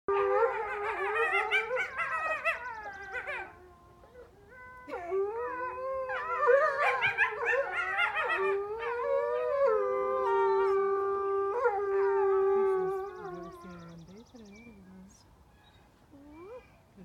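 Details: Several wolves howl together at a museum in Montreal, long wavering tones overlapping with higher yipping voices in a rising chorus; coyotes may also be among them.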